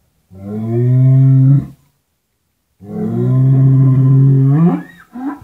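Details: Two long, deep moos from Indonesian cattle shown in Madura, Java and Sumatra barns. Each lowing call lasts well over a second, holds a steady low pitch and ends in a slight rise, with a short grunt after the second.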